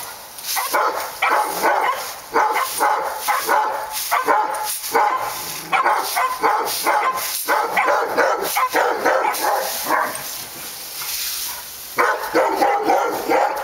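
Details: Dogs barking at Park Drive, a busy chorus of harsh repeated barks with short gaps, the rhythm briefly thinning around the tenth second before loud barking resumes, over a steady background hiss.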